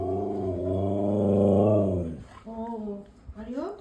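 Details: Pet Siberian Husky "talking" indoors: a long, drawn-out vocal moan about two seconds long that wavers and swells in loudness, then a person speaks in Bengali, with music in the background.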